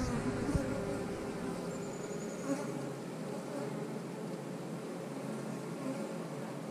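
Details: Colony of honey bees at an eight-frame hive where eggs were spotted, giving a thick, unbroken buzzing hum that holds steady throughout.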